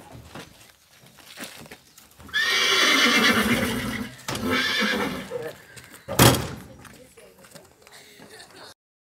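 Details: Malnourished horse with severe bruises and a large open fracture, rescued by environmental military police on a Monday afternoon in the Golfinho neighbourhood of Caraguatatuba. A loud, drawn-out shrill whinny, then a shorter second one, amid voices and a sharp knock.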